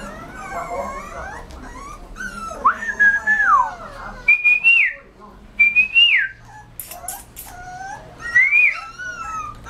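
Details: Whimpering Rottweiler puppy, its high nasal whines sliding up and then dropping steeply, repeated every second or two between quieter pauses, with a short crackling noise midway.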